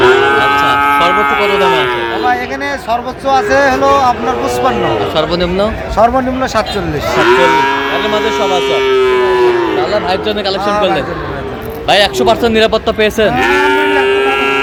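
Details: Sahiwal bull calves at a cattle market, bought by a farmer from Cumilla, Bangladesh, on 13 November 2025: several overlapping drawn-out, harmonic-rich moos, some rising then falling, mixed with men talking nearby.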